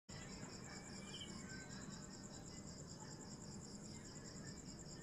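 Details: Cicada, locally called kuliglig, giving a continuous high pulsing drone with a steady rapid throb, over a noisy low background rumble.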